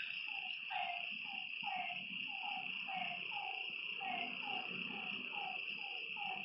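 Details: Night frog by a lake repeating short, slurred, descending calls at a fairly regular rate of about two per second, with an unbroken high insect buzz and soft low rustling underneath.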